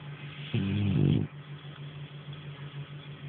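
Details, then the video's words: Nara, a French Bulldog, sleeps and gives one harsh, rattling snore lasting under a second, then only a steady low hum. "Nara snoring"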